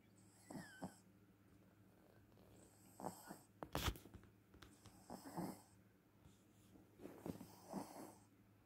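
A Pekingese gives short, wheezy snorts in scattered bursts over a low steady hum.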